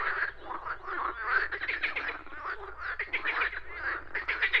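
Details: Nature scene with frogs, a continuous chorus of raspy, rattling croaks overlapping one another, rising and falling in loudness every second or so, over a faint low rumble.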